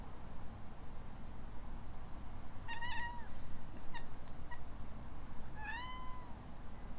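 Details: Alana, a rescued kitten kept in Hawaii, answers a sneeze with two drawn-out meows that rise then fall, separated by a few brief chirps, over a steady low background hum.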